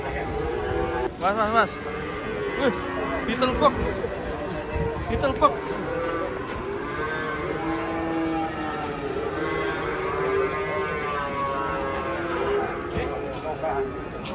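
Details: Huge fat cattle being unloaded from a truck; drawn-out, droning lowing tones with stacked harmonics in the second half, after earlier wavering shouted voices and background human chatter.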